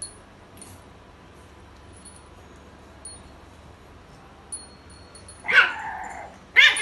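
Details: White female French Bulldog puppy, 46 days old; quiet at first, then two short, sharp yelping cries close together near the end, with faint high ringing tones in the background.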